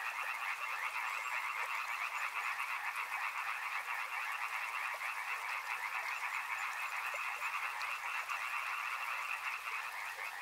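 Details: A chorus of many frogs near a river, countless rapid croaking pulses overlapping into one continuous throbbing wall of sound over a constant rushing background.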